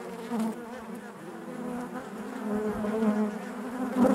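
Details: A short stretch of honey bee hive buzzing: a low, even, many-voiced hum with clear harmonic bands, growing slightly louder toward the end as a bee buzzes close by.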